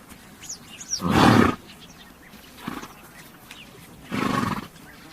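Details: Horse making two strong, breathy, rasping bursts about three seconds apart, with a softer puff between them and faint bird chirps in the background.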